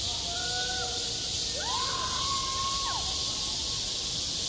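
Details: Cicadas singing in midsummer over a school playground: a steady, dense high hiss fills the air without pause, while several short whistled tones slide and glide in the middle range around the second and third seconds.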